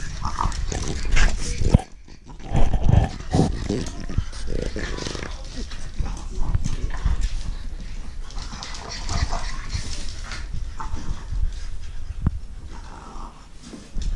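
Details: Blue French Bulldog puppies playing with their mother and father, giving low snorting grunts and snuffles in short bursts, with a person talking over them.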